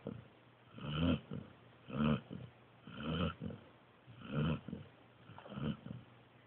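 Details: A pointer pup snoring while asleep. Low, rough, breathy snores repeat steadily about once a second, each a short rasping swell, in a quiet indoor setting.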